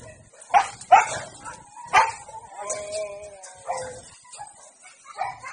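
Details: A Siberian Husky at a dog-breeding kennel, in a mating context, gives a few sharp yipping barks, then a drawn-out, wavering whine.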